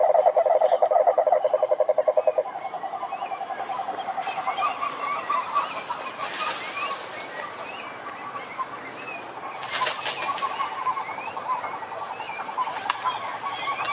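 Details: Toads croaking: a loud, fast pulsed trill opens, then fades into a steady buzzing chorus of several callers, with brief chirping notes scattered above.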